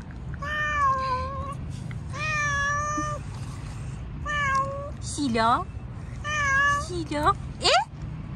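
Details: Fluffy stray cat on the street while being petted meows four times, each a steady, drawn-out tone with rich overtones, roughly a second apart in pairs, interleaved with a man's chatter and swooping vocal sounds.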